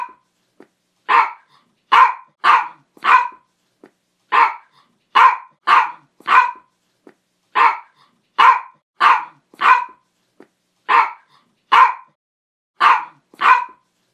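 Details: Dog barking in steady runs of three or four crisp barks, each run followed by a brief pause, repeating evenly across the recording with a quiet background.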